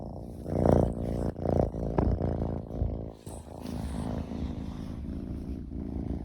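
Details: Male Ragdoll kitten Omochi, born June 2022, purring while being affectionate; a low, rumbling purr that swells in rhythmic pulses a little under once per second. It is louder in the first three seconds, then settles into a softer, steadier drone.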